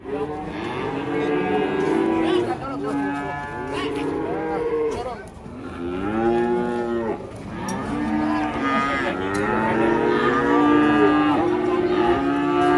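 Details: Cattle on an Indonesian farm give a series of loud, rich moos, each a rounded, arching call of about two seconds, coming one after another almost without pause over thirteen seconds.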